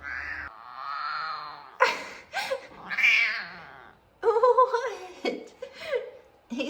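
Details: Two F2 Savannah cats meowing for attention indoors, one male with especially deep meows; a series of drawn-out, wavering harmonic meows, some rising and falling, separated by short pauses, with a woman talking softly to them.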